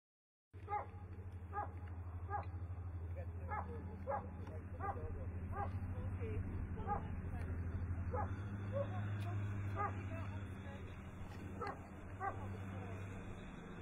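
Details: Puppies playing with tennis balls, giving short high yips and barks repeated about three times a second over a steady low hum, with faint talking in the background.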